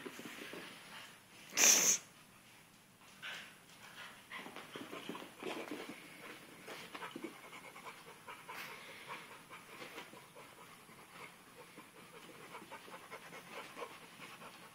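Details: Dixie, a young pitbull puppy, playing with a sock at home: an abrupt loud snort-like burst near the start, then steady fast breathy panting and small scuffling noises.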